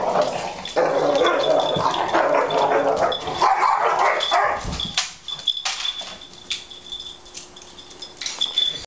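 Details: Labrador Retrievers caught mid-fight on 26 December, with harsh overlapping barks and growls for about five seconds before the scuffle fades into quieter scattered yelps and a faint high tone.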